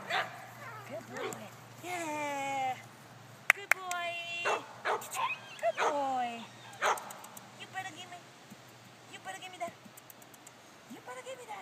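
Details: Patched 10-week-old male puppy giving a run of high, whining yelps and yips, each cry sliding downward with bright harmonics, bunched in the first seven seconds and then sparser, over a human voice and sharp clicks.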